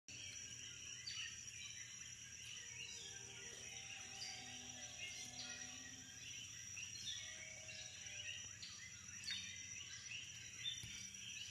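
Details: Insects chattering at night on St Thomas, Virgin Islands: a steady high-pitched whine beneath dense, overlapping short chirps and trills that never pause, with a faint low hum underneath.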